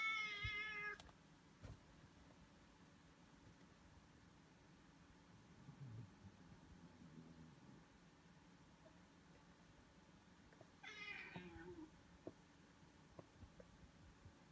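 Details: Siamese cat, a Foreign White, in a disagreement: a short harmonic meow at the start and a second falling meow near eleven seconds, with quiet room noise between.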